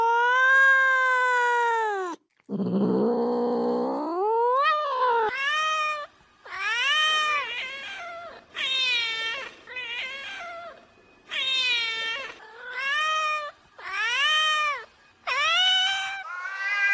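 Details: Domestic cat vocalizing to attract another cat: a long meow and a low, rising moan, followed by a rapid series of short, bending meows repeated roughly every second, with a faint high steady tone in the background.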